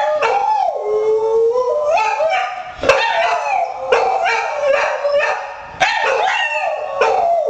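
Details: Buddy, a hound, and Courage, a poodle, howling as a missed-call ringtone plays on a cell phone; drawn-out quavering howls that slide up and down, interrupted by a few abrupt barks.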